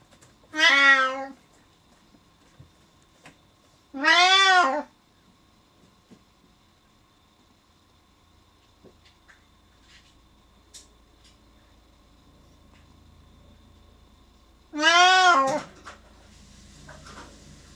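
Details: A male Siamese cat, left alone behind a door after his owner goes downstairs, gives loud, drawn-out meows that rise and fall in pitch, with long pauses between.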